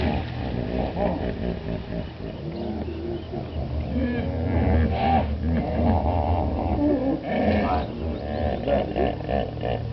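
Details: Hippos in Chobe National Park, Botswana, recorded in July 2005. Deep, resonant, harmonic grunting and wheezing runs continuously, with layered pulsing honks rising and falling throughout and louder bursts around the middle.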